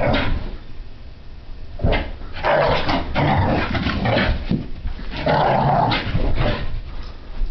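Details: French Brittany spaniel Sophie, a puppy, having a playful meltdown in a living room; clusters of low growls and snappy barks build after a quiet start, with paws and bumping in the background.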